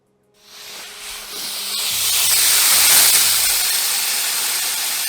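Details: Burmese python hissing in one sustained, airy rush of sound that builds gradually and stays strong to the end, over a quiet background of gentle music.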